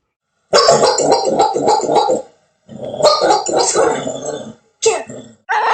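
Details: Dog barking in quick, harsh bursts: a dense run of barks for about a second and a half, a short pause, a longer rapid series, then two brief final barks.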